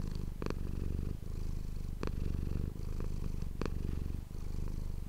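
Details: Close-miked purring of Manis the house cat for ASMR: a constant low vibrating drone with short pauses between breaths and three distinct clicking sounds.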